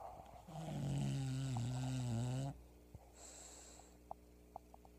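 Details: Loud snore from Pebbles, a sleeping English bulldog, lasting about two seconds, deep and rasping with a wavering low pitch, then a softer hissing exhale and a quiet room with faint ticks.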